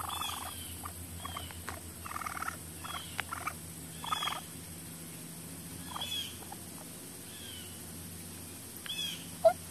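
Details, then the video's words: Baby raccoon at a wildlife rescue and rehabilitation centre in Central Mississippi chattering: rapid clusters of short, scratchy chirps and squeaky bursts, irregularly spaced, with a low constant hum behind. "Baby Raccoon Chattering"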